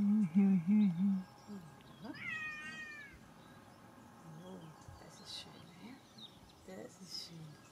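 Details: Melanistic Bengal kitten giving a short run of high, wavering meows in the first second, then one rising, drawn-out mew around two seconds; quieter background with a woman talking in German.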